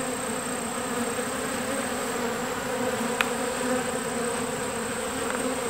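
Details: A captured swarm of honeybees on a farm in summer, getting used to their new home, making a continuous droning hum of many wings, with one brief click partway through.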